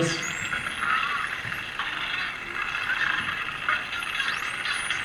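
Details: Spinner dolphins, likely socializing, give high, sweeping whistles over a hissy bed of rapid echolocation clicks.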